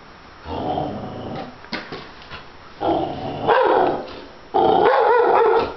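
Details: Pet dog barking and growling at a stuffed bear: rough, drawn-out growls build into louder harsh barks with a wavering, whining edge, in bursts separated by brief pauses.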